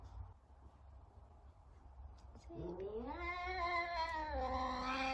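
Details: Savannah cat looking for a companion cat: one prolonged, insistent yowl that climbs steadily in pitch and holds loud and strained for over two seconds, with low background hum.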